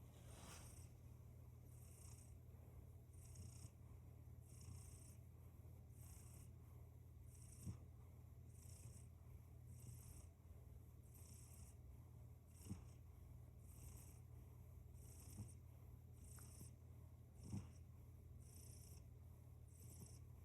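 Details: Domestic cat purring: a steady low rumble throughout, with faint soft breath sounds repeating about once a second and a few small clicks.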